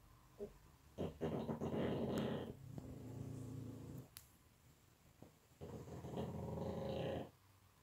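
A pug snores in deep sleep, with long rough rattling breaths rising and falling.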